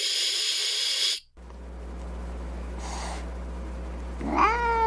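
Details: Angry cat letting out one sharp, airy hiss lasting about a second, followed by quiet and the start of a rising, strained meow at the end.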